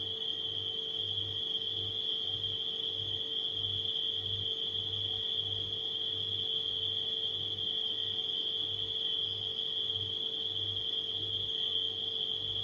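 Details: Crickets at night form a continuous shrill trill that never pauses, layered over the steady hum of a refrigerator, which throbs gently in the low range throughout.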